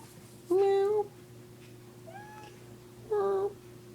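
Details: Foster cats indoors: three short meows, the first and last steady and strong, the middle one fainter and rising, over a low steady hum, with a person's voice speaking around them.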